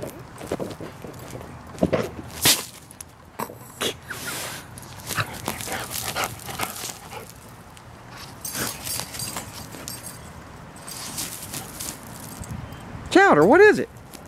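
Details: Chowder, a half Border Collie, half Labrador dog, digging after a mole: steady scratching and pawing at soil, with soft thumps, then a loud wavering whine that rises and falls twice near the end.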